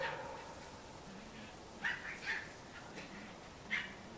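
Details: Cairn Terrier puppies from a breeder in Escaudes, France: three quick, thin high yips within four seconds, the second a close double, over low background noise.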